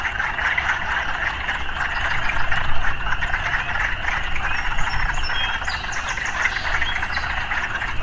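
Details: Massed frog croaking amid urban background noise, rapid irregular rasping calls blending into a continuous chorus, slightly louder near the third second, with a heavy low rumble and a few thin high chirps.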